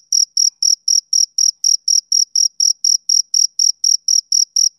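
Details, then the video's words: Male cricket chirping on a summer evening: a clean, high, shrill pulse repeated about four times per second, steady and even, with no other sounds around it. "Cricket Chirping Sound Effect"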